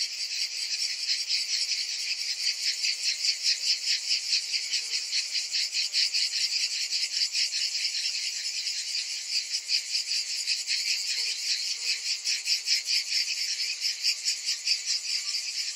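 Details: Cicadas in summer heat, a continuous high buzzing chorus with fast rhythmic pulsing, about two and a half beats per second, steady over the whole stretch.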